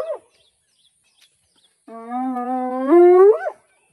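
A spotted hyena gives a long, rich, hollow call that holds steady and then sweeps upward at the end.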